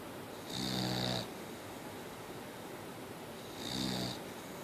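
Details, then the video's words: Two snores from Mia, a Boxer dog, about three seconds apart: each a breathy, grating rasp with a hissing top, quieter hum in between. "Mia The Boxer Dog still Snoring!"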